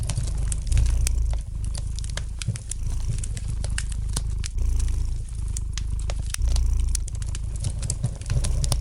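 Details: Domestic cat purring gently beside a fireplace, a steady low rumble swelling and easing in roughly one-second cycles, overlaid with light, scattered crackling and popping of burning wood.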